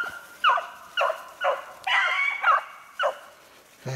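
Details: Several short, ringing bawls from beagles running a snowshoe hare, recorded 3/8/16, spaced roughly half a second apart with one longer drawn-out howl in the middle.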